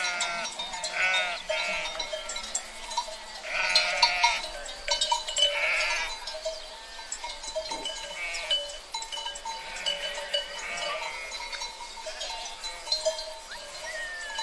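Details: A sheep herd bleats busily, several quavering, vibrato-laden cries overlapping and following each other every second or two, over a constant ringing drone and scattered clinking sounds.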